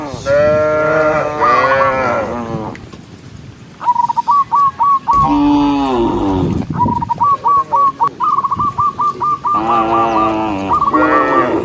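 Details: A herd of tame cows moving in the rain along a lush forest road, lowing in long, rich, harmonic moos that swell and fade, with repeated runs of quick, high, hooked chirps in the pauses.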